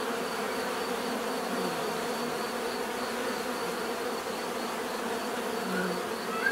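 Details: Dense buzzing of a crowd of bees, a continuous low droning hum with layered overtones and slight swells in loudness, and a brief faint rising squeak right at the end.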